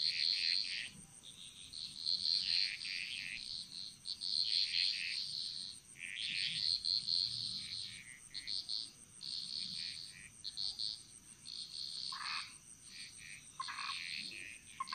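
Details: Jungle frogs of Bali in chorus: pulsing clusters of high chirping calls every two seconds or so, a few lower knocking croaks near the end, over a constant high insect drone.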